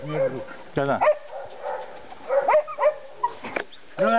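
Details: Dog aged seven months barking at wild boar inside a pen, 27 January 2011; a few scattered high barks in separate bursts, mixed with men talking and urging it on.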